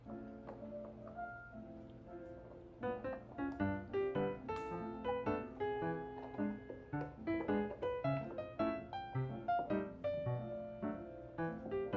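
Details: Gentle piano music plays throughout, with a steady rhythmic run of notes and no animal sound.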